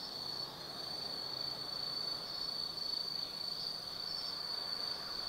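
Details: Insects of autumn calling after dark at Tsukimi no Mori, Kaizu, Gifu, Japan, overlooking the Nobi Plain night view; steady shrill trilling dominates, with a faint low hum beneath.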